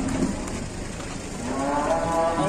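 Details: Very large cow being unloaded in Indonesia among a crowd of onlookers, giving a low, drawn-out moo that swells and rises slightly over its last second, with murmuring voices and a steady hiss of background noise.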